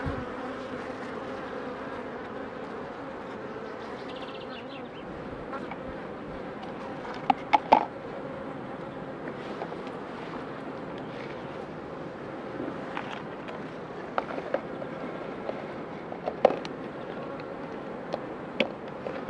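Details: A low, steady hum from queen honey bees being put under pre-narcosis before instrumental insemination. Scattered sharp clicks and taps from equipment break the sound throughout.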